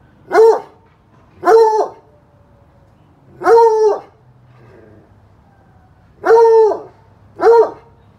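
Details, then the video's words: Bluetick Coonhound giving a series of five sustained, rich bays in uneven rhythm, two close pairs and a single call, with a short faint murmur in a gap and otherwise little background noise. "Bluetick Coonhound Baying"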